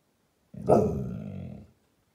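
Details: Watchful American Staffordshire Terrier reacting to someone passing outside, giving one drawn-out, rough growly bark lasting about a second, deep and harsh, in a quiet indoor setting.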